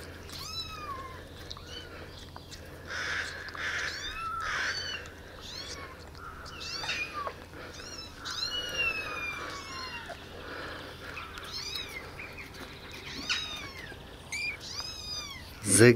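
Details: Rescued street kittens, abandoned babies about eight days in care, living in a warm basement and fed milk by syringe; a busy stream of shrill, downward-curving mews from several kittens at once, overlapping and unevenly spaced, with a sharp bump near the end.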